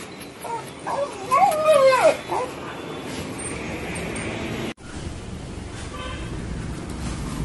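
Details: Stray street dog running up to a familiar person, crying with excitement while jumping up for attention; a short burst of high, wavering whines that bend up and down for about a second, then steady traffic and street noise.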